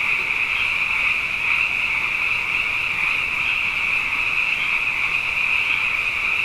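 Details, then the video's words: Night chorus of many frogs, plentiful after two consecutive wet years: a continuous high-pitched trilling haze, evenly loud throughout, with faint pulses rising and falling within the massed voices. "Frog Songs: Na Mele o nā Paloka"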